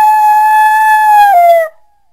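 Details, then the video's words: Coyote giving a single steady, high howl held level for about a second and a half, then dipping slightly and breaking off abruptly, followed by silence. "Coyote Sounds"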